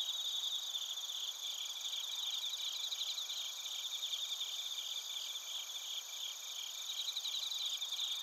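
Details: Bell crickets and field crickets chirping in Narita, Chiba, Japan, recorded on a TASCAM Portacapture X8: a dense, steady chorus of high, pulsed trills with a bright shimmering band and fainter higher tones throughout, no other sounds.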